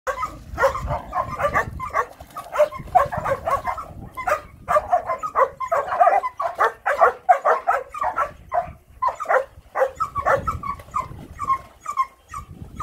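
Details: Rough Collie puppy that loves water, playing in water: dense run of short, sharp, excited barks and yips, many overlapping, repeated rapidly throughout with brief pauses, some low rumbling noise beneath.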